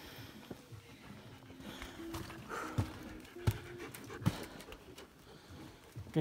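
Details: A female German Shepherd, Kara, hiking in summer ice caves and climbing out of the dark caves. She pants in rough, breathy bursts with some louder pulses, while people talk and footsteps sound nearby.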